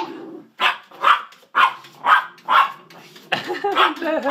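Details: Two house dachshunds, Sausage and Weenie, bark rapidly at a cat, about five quick yaps in a row, followed by a woman's voice speaking over further barking.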